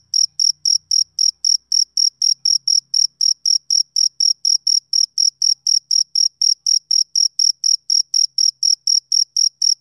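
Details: Rhythmic summer-evening chirping of a male cricket. Bright, piercing pulses follow each other about three per second in an even, unbroken series over quiet background.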